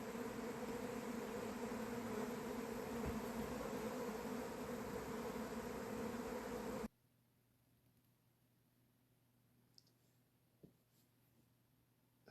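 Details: Honey bees swarming at an apiary on 28 April, earlier than the usual early-May swarming date: a dense, steady hum with low droning tones holds for about seven seconds, then cuts to near silence with a few faint clicks.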